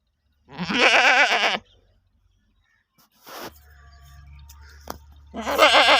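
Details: Goat from the UK bleating twice, a strong quavering cry followed after a gap by another starting, with a faint low hum and a soft click in the pause.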